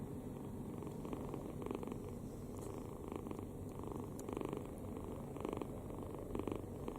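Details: Relaxed kitten asleep with open mouth, snoring: continuous low grumbling breath noise punctuated by rhythmic rasping pulses about once a second, some slightly louder toward the end, in a quiet room.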